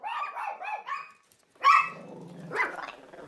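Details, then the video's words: Friendly Chihuahua indoors, set off barking at the door even by the word hello from someone she liked; a run of four quick yapping barks, a pause, then two louder sharp barks. "dog, but because she was going on this downward spiral, even the word hello, spoken by someone she really liked, sent her over her threshold."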